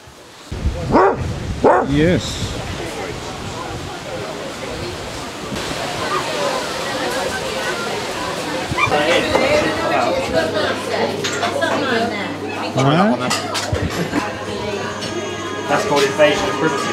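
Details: Basset Hounds, part of a group of 23 on a five-mile walk around Ham Hill, Somerset, give a couple of loud, deep barks early on. Then comes a steady wash of outdoor crowd chatter, scattered yips and people talking.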